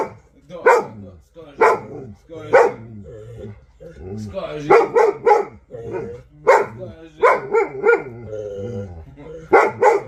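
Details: Vasya, an Alabai, barking steadily: evenly spaced, punchy barks about once a second, then faster doubled and tripled barks, with softer grumbling vocal sounds and human speech between them.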